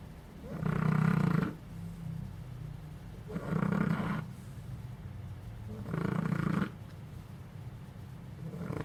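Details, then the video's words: Sleeping puppy dog giving three evenly spaced snores, roughly every 2.5 seconds. Each is a low, rasping drone lasting close to a second, with quiet breathing between them. "Divertido perro bebé roncando"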